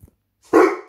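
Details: Deep, big-dog bark from a Rhodesian Ridgeback asked to speak on command: a single short, loud, harmonic woof, preceded by a brief soft sound.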